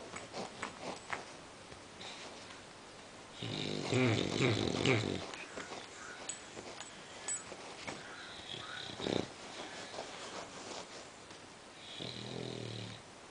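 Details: Sleeping female English Bulldog snores and snorts irregularly, one long harsh rattling snore followed by softer wheezy breaths and snuffles, then a weaker snore near the end.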